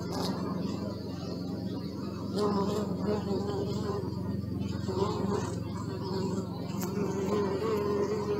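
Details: Continuous low droning of bees with recurring louder buzzy swells every few seconds as individual insects fly close by.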